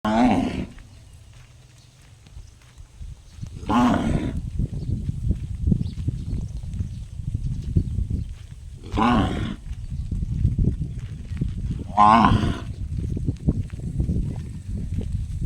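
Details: Cow. A cow utters brief, resonant calls with a metallic, gong-like ring, each lasting about half a second and spaced several seconds apart. A low rumble of wind or handling noise runs underneath.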